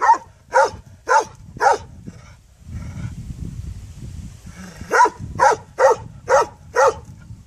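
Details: A dog gives two runs of loud barks, four evenly spaced then a pause of low rumble, followed by five more quick barks.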